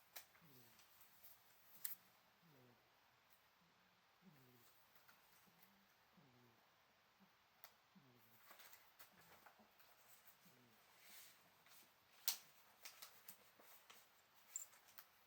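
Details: Teto, a pet cat, asleep and breathing audibly in faint snore-like puffs, soft low sweeping sounds repeating about every second and a half in a quiet room, with scattered small clicks and taps.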